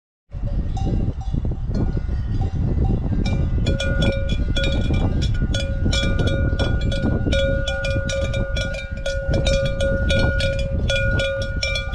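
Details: Clanking cowbells ring steadily over a deep rumbling background, with no animal voice heard. The metallic tones repeat irregularly throughout.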